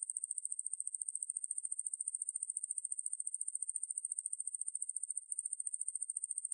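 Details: Ruspolia lineosa, a conehead katydid, in a 2020 recording from the National Institute of Biological Resources: a steady, very high buzzing trill of rapid, even pulses, unbroken throughout, with no other sounds.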